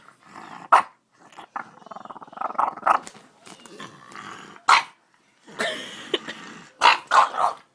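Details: One-year-old French bulldog barking and making funny sounds while trying to lick a face: sharp high yaps scattered among rough, gargling growl-like grunts and snuffles, with several quick yaps near the end.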